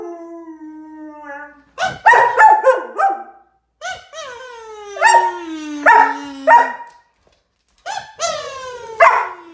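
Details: Excited German Shepherd reacting to a kazoo toy: a steady tone opens, then rapid yelping whines and a long falling whine, repeated in several bursts.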